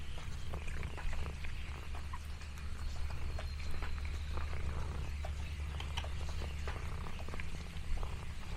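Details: Contented purring from Lexi the orange tabby cat on a farm day in the countryside, a continuous deep pulsing drone beneath light rustling and snapping leaf crackles.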